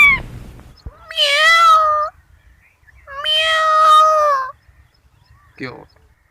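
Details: Kittens giving long, drawn-out meows, two sustained wails about one second each with rich harmonics and a slight fall at the end, followed by a short high squeak; otherwise quiet background.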